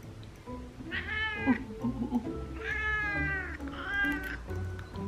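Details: Female house cat Roll meowing in protest while her nails are trimmed: three drawn-out, strained meows that rise then fall, with music playing softly underneath.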